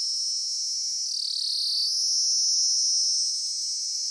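A dense cicada chorus fills the air with a shrill, unbroken buzz pitched very high. The drone wavers slightly in tone but never pauses, swelling a little toward the middle before easing off.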